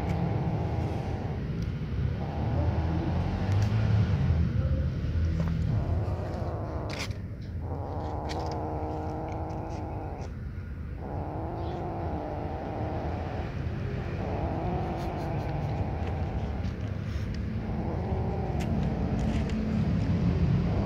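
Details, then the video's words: Little black kitten guarding its food from its siblings while eating keeps up a low, rumbling, harmonic growl for about twenty seconds. The tone wavers, and brief dips come every few seconds over steady low background noise. "Little cat black wants to avoid its siblings while eating"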